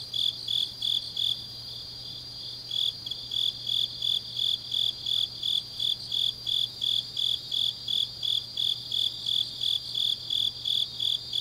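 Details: Autumn grass insects calling late at night in Changnyeong, South Korea, a loud high chirp pulsing about three times a second in a steady rhythm, brief pause early on, over a continuous shrill insect drone and faint low hum.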